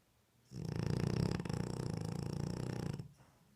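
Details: A French Bulldog, asleep with open eyes, snores with a low, rough, fluttering rumble lasting a few seconds.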